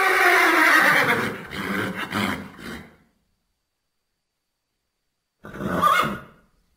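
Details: Thoroughbred horses neighing: a loud, harsh whinny with layered harmonics fades out over about three seconds, followed after a silent gap by a shorter, rougher neigh.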